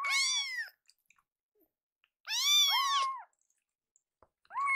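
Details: Two hungry rescue kittens indoors, angry while their milk is delayed during a feeding mix-up: loud, arched harmonic meows, two long overlapping cries near the start and middle, a third beginning at the end, quiet between.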